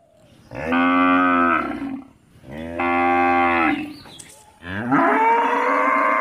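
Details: A village cow gives three loud, drawn-out moos, each about a second long, with short pauses between.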